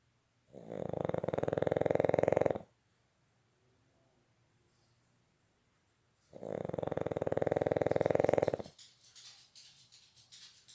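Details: Boston Terrier snoring while asleep indoors: two long rattling, buzzy snores about two seconds each, separated by roughly four seconds of quiet breathing, with a soft rustle near the end.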